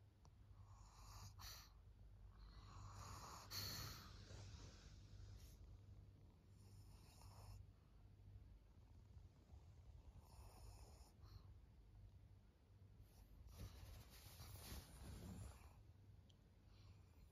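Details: Maria, a fourteen-year-old fawn female pug, a senior dog in Japan, recorded 4 June 2024; soft breathy snorts and rasping snores come in a quick uneven series over a steady low indoor hum.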